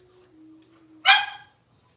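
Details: Blenheim Cavalier King Charles Spaniel puppy, six weeks old, one of a litter of five in an indoor pen: a single sharp, bright yip bursts out after a thin steady whine, then quiet.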